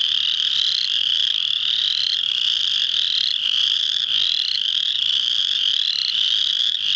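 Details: Full chorus of spring peeper frogs at an Indiana wildlife refuge, Muscatatuck, March 7, 2009: countless shrill upslurred peeps overlapping steadily, several louder rising notes repeating about once a second above the dense background.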